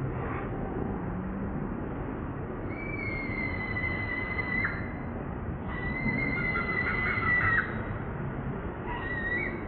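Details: Newborn baby monkey Moonpie crying for its mother, begging for milk; thin, high whistled squeals in long drawn-out held notes, some wavering, with short gaps between, over a steady rough background hiss.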